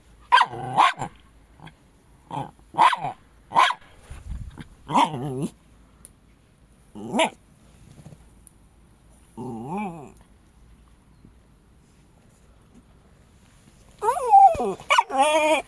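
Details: Jack Russell Terrier dogs, kept as pets: a series of sharp barks and growly yaps in bursts, with pauses between, ending in a rapid cluster of excited barks; a woman speaks softly in Latvian nearby.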